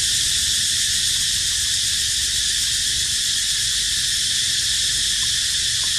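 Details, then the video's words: Steady high cicada buzz, a continuous piercing drone without pauses or rhythm changes, faint low hum underneath and a couple of tiny clicks near the end. "Amazing Sound Of Cicada Crying"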